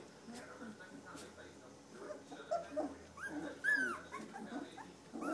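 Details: Standard poodle puppies aged three weeks, born to Star and Levi, let out high squeaky whines, including one sharp arched squeal near the end, while a person talks softly to them.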